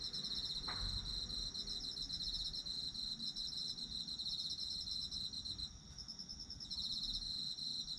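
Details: Autumn insects in a calming night-style chorus, several high trilling callers pulsing rapidly over a steady ringing band, one short dip in loudness near the end; a brief soft knock early on.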